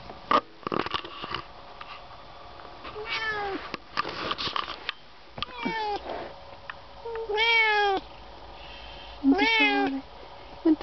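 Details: Two domestic cats travelling in a car on the way to the vet, giving several drawn-out, wavering meows at irregular intervals, with car rumble, clicks and a man's brief remarks.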